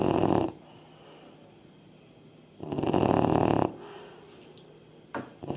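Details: Labrador Retriever puppy, three and a half months old, snoring: two loud, rough, breathy bursts about two and a half seconds apart, the second one longer at about a second, with a quiet click near the end.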